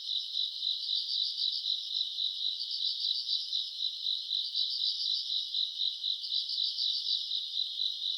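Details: Night-time grass insects in summer, recorded around August: a constant shrill trilling chorus pulsing about four times a second, with brighter, louder bursts of chirping joining every couple of seconds.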